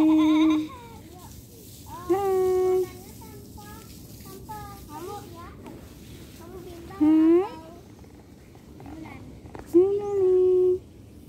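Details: Domestic cat giving plaintive meows, presented as struggling with separation. Four flat, sustained calls are spaced a few seconds apart, with faint softer vocal sounds in between.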